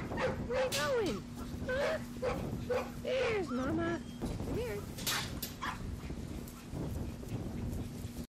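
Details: Labrador Retriever puppies at four weeks old, still with their mother and learning to follow people on a ranch: a string of thin, curving whines rising and falling, several in quick succession, then quieter, with a woman's coaxing voice and a steady hum.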